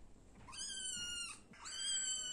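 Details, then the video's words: Small black and white cat meowing twice: a long, flat, high-pitched meow with a rising start, then a second meow after a brief pause, in a quiet setting. "Little Black and White Cat Meowing"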